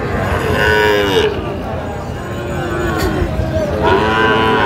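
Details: At a Kushtia cattle market in Bangladesh, 24 April 2025, Sahiwal bull calves give two long, bending moos, one early and one at the end, with busy market talk and crowd noise filling the gap between them.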